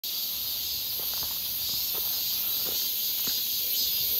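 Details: Cicadas in midsummer near Seonbawi on 1 August 2023, a clear hot day, heard on a walk: a dense, steady high-pitched hiss of chorusing insects without a break, with faint soft footsteps underneath.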